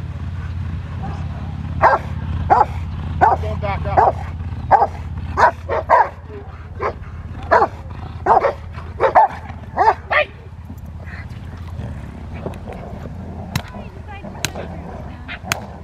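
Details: Rottweiler barking during schutzhund protection training: a run of loud, sharp barks roughly every half to one second for about eight seconds, then fading to quieter isolated yaps over a steady low hum.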